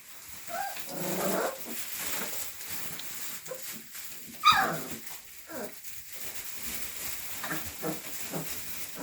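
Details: Rottweiler puppies filmed in fall 2019 let out brief broadband yelps and a sharp bark-like burst near the middle, amid scattered rustling and low handling noise.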